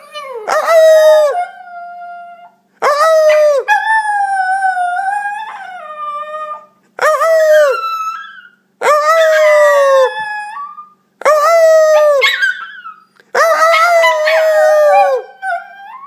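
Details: A young Italian Greyhound puppy, Enzo, howls in drawn-out, wavering bursts with short pauses between them.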